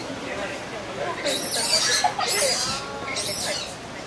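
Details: Desperate cries of a three-week-old captive Abyssinian colobus baby at Ueno Zoo, unhelped by its older brothers; three loud, grating, high squeals in quick succession, with faint voices in the background.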